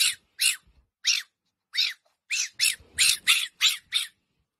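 A fennec fox gives a string of shrill, raspy squeaks in quick, uneven succession.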